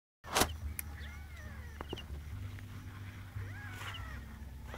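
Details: Newborn kittens searching for their mother give thin, high, arching mews, several in a row, over a steady low hum and a sharp knock near the start.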